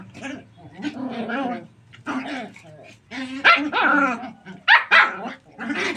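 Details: Puppies playing, running and jumping in a tight area; rapid, tightly packed yelping and growly barks with whiny pitch bends, nearly continuous, several pups overlapping.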